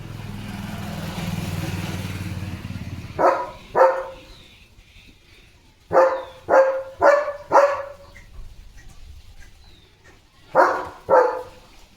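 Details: Guard dog Leo, a German Shepherd, barks fiercely at a herd of sheep passing in front of the gate. An engine rumbles for the first seconds, then loud, deep barks follow in bursts of two, four, then two.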